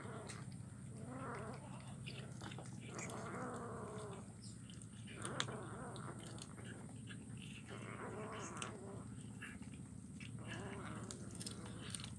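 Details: Kitten eating fish bones, recorded on Wednesday 17 July 2019 in Kuala Kapuas, Central Kalimantan, Indonesia: drawn-out, wavering growling moans in several long stretches, with clicks and a steady low background hum.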